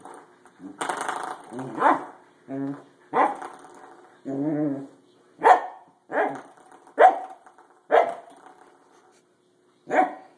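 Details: Corgi objecting to a springy doorstop: mixed growls, grumbling whines and short sharp barks spaced about a second apart, ending with a lone bark after a brief pause.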